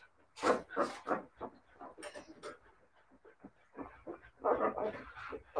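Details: Siberian Husky puppies whimpering and yipping in short, uneven bursts, several quick cries following one another with brief pauses between.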